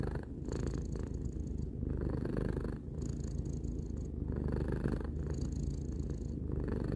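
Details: Domestic cat, a three-year-old pet, purring steadily: a low, rumbling continuous drone pulsing with each breath, short breaks roughly every one to two seconds, recorded indoors.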